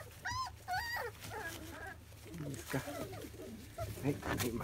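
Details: Labrador Retriever puppies, field type, 25 days old, having their first taste of weaning food: two clear high whining squeals at the start, then fainter whimpers mixed with murmured human speech.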